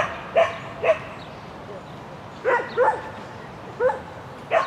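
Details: Shetland Sheepdog on an agility course, spring 2016 event, 22 May 2016, barking in short yappy pairs, about six clear barks spaced unevenly, against a quiet hiss.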